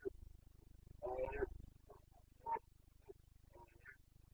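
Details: Carpathian red deer stag in the breeding-season rut (boncănit) in the Bucovina mountains, Romania, 29 September 2022: a harsh, throaty half-second roar, then several shorter grunting bursts over a steady low background hum.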